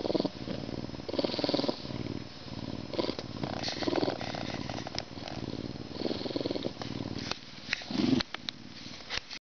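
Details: Humanized male Canada lynx, zoo-born May 2011, getting a good scratch ahead of his meal, purrs in a close, throaty rumble broken into several phrases, with faint rustling and scratching noises between them.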